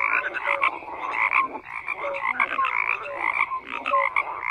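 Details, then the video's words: Frogs in full chorus: overlapping rasping croaks and short clear whistled notes, the mass of calls pulsing in waves with one brief lull near the middle. "FROGS CROAKING"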